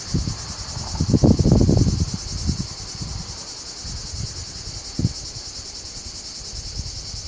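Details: In a small maritime pine patch between a road and farmland in Alburitel, Ourém, Portugal, one male Lyristes plebejus, Europe's largest cicada, outsings several male Cicada orni and Tettigettalna argentata: a steady, high, shimmering buzz with bursts of low wind rumble.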